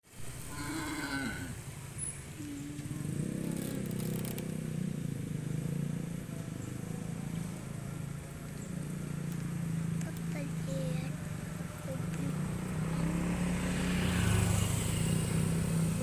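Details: Herd of cows being herded across a pasture toward the farm pen; one short harmonic low moo opens the recording, then a steady low rumble of the moving herd and rural background fills the rest.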